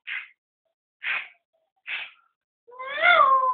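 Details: Chihuahua barking angrily at what it thinks is a cat: three short sharp barks about a second apart, ending in a rising and falling whiny howl.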